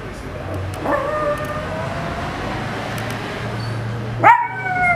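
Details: Male Miniature Pinscher on its owner's bed, howling in response to a car alarm: a long, wavering, mid-pitched howl held for about three seconds, then a second sharp, rising howl begins, over a low steady hum.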